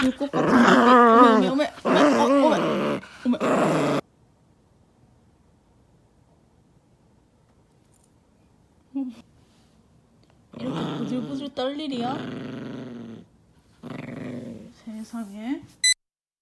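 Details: Angry poodle indoors growling in long, rumbling, wavering bursts with harmonic overtones, broken by abrupt cuts and a long near-silent stretch, then further growling rises and falls toward the end.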